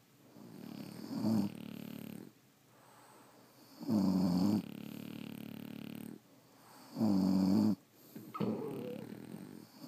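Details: French Bulldogs asleep, snoring in a slow regular cycle: loud rattling inhales about every three seconds followed by softer breathy exhales, a quiet background hum throughout.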